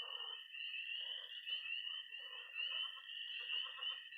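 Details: Missouri pond at night in early spring, full of frogs and toads: loud continuous high-pitched peeping over a steady trill, with short bursts of rapid rattling croaks starting and stopping.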